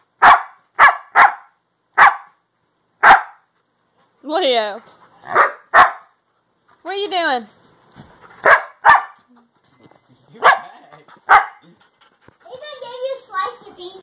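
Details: Siberian Husky talking to his owner: a run of short, sharp yips and barks mixed with longer wavering, rising-and-falling woo-woo howls, in varied bursts.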